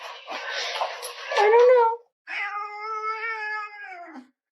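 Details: Stubborn orange house cat arguing with its owner indoors: a rough, noisy opening swells into a rising cry, then after a short pause comes a long, steady, drawn-out meow with a slight waver.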